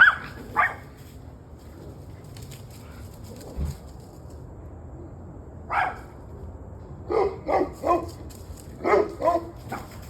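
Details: Dogs barking on an evening recording, 7:06 pm, 21 November 2023: scattered sharp barks, a lone bark early, then a quick series of barks near the end, over a low steady background hum.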